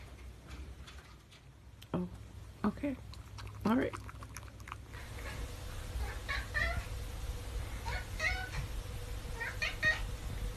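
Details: An 11-year-old male flame point Siamese cat gives a series of drawn-out, wavering meows wanting attention and play from his owner, with a person speaking briefly.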